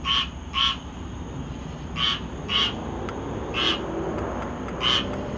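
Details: Squirrel tree frog recorded on 19 August 2022, giving short raspy, nasal call notes in pairs and singles, roughly every half second to a second, over a steady low background rumble and a constant high-pitched whine.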